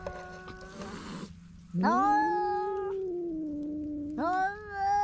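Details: Feral cats on a Japanese cat island fight over one fish, captured by GoPro HERO8: after some rustling, a sudden rising yowl swells into a long sustained moan, then a second yowl starts sharply near the end.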